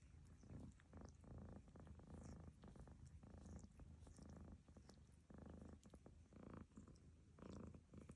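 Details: Lucy, a cat, snores as her companion Barfi washes her. Rapid low rumbling pulses follow each other closely, some clustered, with scattered faint clicks of grooming.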